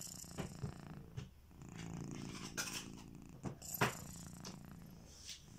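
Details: Kitiboy, a pet domestic cat, snoring while asleep: a low, rumbling purr-like drone with soft breathing, broken by brief clicks and rustles indoors.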